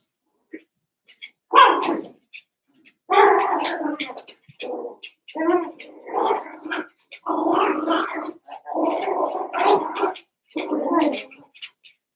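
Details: Cavalier King Charles Spaniel puppies at play after Daisy's six pups are merged with Robin's two. A run of loud, rough, harmonic growling yaps and barks comes in bursts of about a second, with short pauses, plus faint higher clicks.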